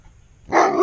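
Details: Giant Alaskan Malamute, scared of a duck, letting out one sudden short bark after near silence.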